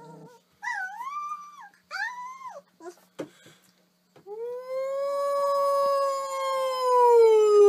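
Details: Dog in a funny pet compilation giving short rising-and-falling whiny yelps, a few sharp clicks, then one long, steady, slowly falling howl that grows louder toward the end.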